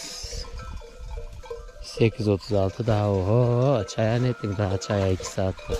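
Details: Akkaraman lambs taken from their mothers bleat for them: after a quieter start, a run of loud, wavering, rising-and-falling bleats follows in quick succession, with a voice and some background music.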